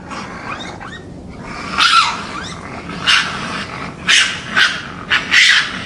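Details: Wild raccoon recorded in natural forest habitat at night, giving harsh, raspy growling bursts in short runs, about five loud noisy snarls spaced roughly a second apart over a low hiss.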